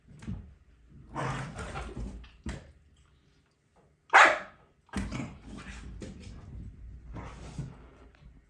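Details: Malinois and Corgi brothers Sicario and Finn at rough play with chew toys indoors on a rainy morning; short growly barks and grumbles in bursts, one sharp loud bark near the middle, quiet pauses between.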